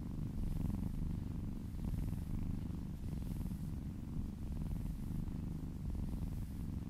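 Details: Cat purring while massaged, a dense low throaty rumble without pauses, gentle periodic brushing sounds from the massage drifting above it.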